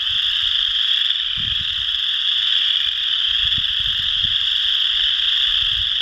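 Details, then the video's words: Chorus frogs calling at Potato Creek State Park, Indiana, on March 12, 2016, filmed with a Canon Powershot SX50: a dense, continuous chorus of high trilling calls overlapping without pause, with occasional low rumbles of wind or handling beneath. "Chorus Frogs Calling"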